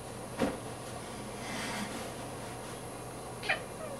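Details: Domestic cat indoors, talking to birds outside the window: two short, sharp chirping calls about three seconds apart over a steady low hum.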